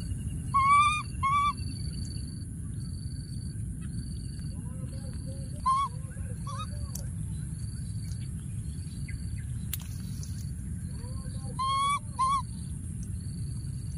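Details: Wild baby monkey hiding in a thorny tree, calling for his friend: clear whistled coos with a bright overtone, two near the start and more near the end, some lower and softer, over steady low rumble and regular high pulsing insect-like buzzes.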